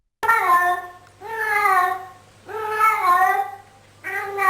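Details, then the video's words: Domestic cat 'talking', making drawn-out, arching meows about a second long, three in a row with short pauses between them, indoors with a steady low hum behind. "Top 6 talking points cats moment"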